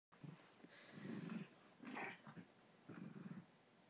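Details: Havanese dog growling while play-fighting with a Coton de Tulear indoors: low rumbling growls in three bursts, with a brief higher yelp-like sound near the middle.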